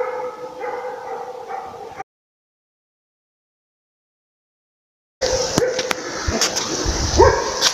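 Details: Laika; baying bark; holding a moose at bay during a hunt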